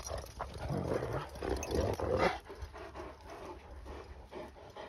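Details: Akbash dogs on a play and training outing outdoors. The clip has rapid, breathy, irregular panting bursts, with louder rasping puffs at first that fade toward the end, and faint rustling in the background.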